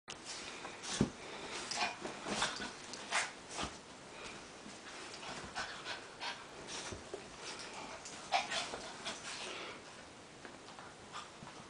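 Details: Two small dogs, a little gray Maltichi named Cosby and a white Maltipoo named Minuet, play fighting during a visit; sharp broadband scuffles, snuffs and quick breathy huffs come in irregular bursts, loudest near the first and eighth seconds.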